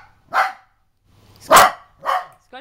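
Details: Scott, a pet dog who turns angry when mimicked by his owner, lets out three short, gruff barks about half a second to a second apart, ending in a brief whine, with Italian speech nearby.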